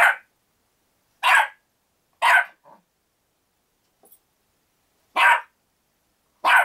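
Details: Six-month-old Havanese-poodle cross puppy barking while playing with the family cat, Maple: sharp, bright barks spaced irregularly about a second or more apart, six bursts with near silence between.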